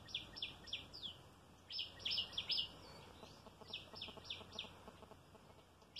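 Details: Squirrel coming for food at mealtime, jumping here and there. Sharp high chirps repeat about three times a second in short bursts, with brief pauses between runs, over faint background noise.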